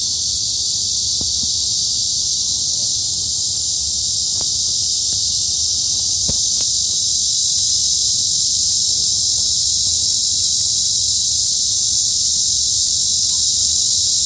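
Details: Midsummer cicada chorus in the forest of Hanbat Arboretum, Daejeon, Korea, a continuous shrill hissing buzz sustained at constant volume throughout, with a few faint clicks and low background rumble.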